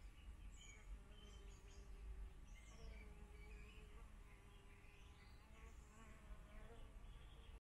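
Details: Bee recorded close up, giving a faint, steady low hum that runs throughout, with soft wavering higher tones drifting over it.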